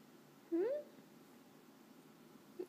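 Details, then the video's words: Jax, a male pet cat, talks to his owner while she works from home, adamant she understands his meows and squeaks; one short squeaky meow sweeps upward in pitch over about a third of a second, then quiet room tone. "Jax cat whispering to me"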